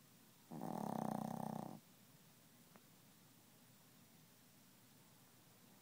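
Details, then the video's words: Sleeping Chihuahua snoring and refusing to wake; one long rough snore over a second in length, then quiet breathing, a faint tick and the start of another snore at the end. "Chihuahua Snoring"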